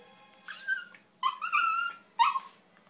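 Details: Pet terrier singing at the end of a session: three short, rising, whiny howls, each under a second, separated by brief pauses, with a woman's voice nearby.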